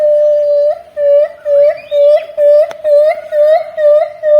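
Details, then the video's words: Javan gibbon giving a steady run of pure, siren-like hoots, each note swelling with a small upward flick at its end, repeated about twice per second at an even rhythm. "Suara Owa Jawa Mirip Sirine"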